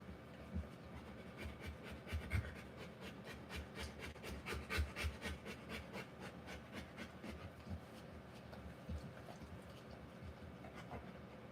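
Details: Rottweiler giving birth to puppies, breathing in quick rough pants, a steady run of short breathy bursts about every half second with a few louder puffs in the middle, over a soft low rumble.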